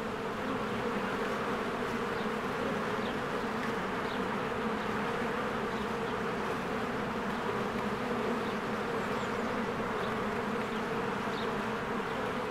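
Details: Honeybees in spring fly in and out of their hive as flowers bloom. A dense, steady buzzing drone from the swarm continues throughout, with faint high chirps of birds in the background.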